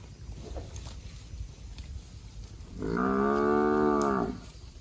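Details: After quiet rustling, a plump cow feeding on grass in the bushes lets out a single full, even moo of about one and a half seconds.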